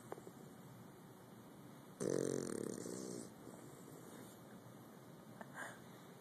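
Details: Bulldog asleep indoors giving one long rattling snore lasting over a second, followed by quieter breathing and a faint second snort.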